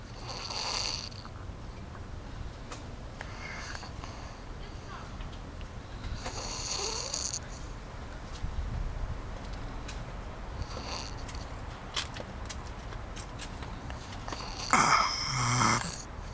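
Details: Farrah the fox snoring: soft, breathy rasping snores come irregularly, a few seconds apart, over a quiet background hiss, ending with one louder, harsher snort-like breath near the close.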